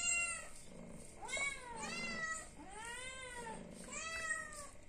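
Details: Hungry cat begs for food with a steady run of drawn-out, curving meows that rise then fall, about one every second, over a low rumbling background.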